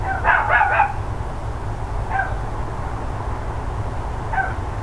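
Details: Morning barking from neighbours' dogs, 13 October 2012, around 10 AM: a fast burst of three sharp barks, then two lone, quieter barks spaced about two seconds apart, against a constant low rumble.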